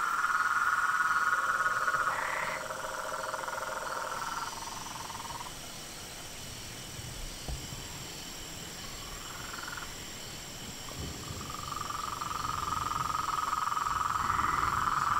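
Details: Pond chorus at nightfall in front of a house: frogs, toads and treefrogs trill loudly at first, fall away to scattered short trills in the middle, then build back into a steady trilling.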